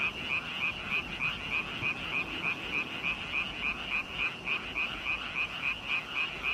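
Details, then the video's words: Croaking frogs heard as a fast, evenly spaced run of harsh pulsed notes, roughly three to four each second, in a continuous massed chorus. "개골개골개구리 노래를 한다"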